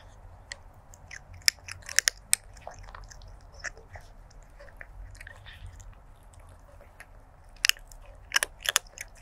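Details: A stray kitten eats dry food on 23 January 2024, captured with a Sony lavalier mic. Dense, crisp crunching and snapping bites come in clusters, loudest at the start and again toward the end, over faint low hum.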